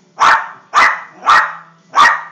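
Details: Jack Russell Terrier barking because it wants the football: four sharp, punchy barks in quick succession, each roughly half a second apart, over a faint low hum.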